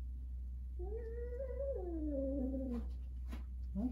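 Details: During the first meeting of two adult cats, a Russian Blue and a rescued stray, a stressed domestic cat yowls in a long, wavering moan that rises and then slides down, while a person speaks softly.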